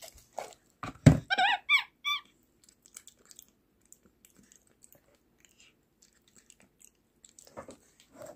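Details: Pet capuchin monkey kept at home, "talking" with the sounds it uses to communicate: a short burst of high, arched squeaks with harmonics around one second in, then quiet with faint rustling and a woman's voice.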